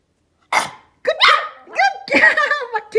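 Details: Pomeranian puppies performing tricks for treats (paw, spin, sit): a series of four high, sharp barks spaced about half a second apart, a man's encouraging commands between them.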